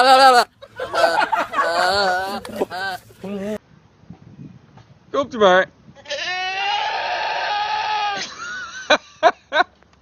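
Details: Young sheep bleating in short and then drawn-out wavering cries, rich and nasal, after a woman speaks softly and affectionately to it at the start.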